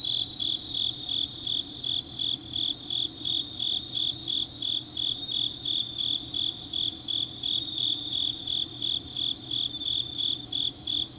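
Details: Autumn night chorus of grass insects from Changnyeong, Korea, a steady run of high, ringing chirps repeated roughly three per second, with a fainter overlapping trill from other insects behind.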